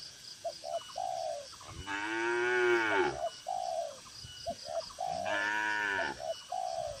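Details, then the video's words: Tame cattle among dozens housed in a farm barn give two loud moos about three seconds apart, each lasting around a second, over steady cooing from doves. "Moo Moo Suara Sapi Lucu"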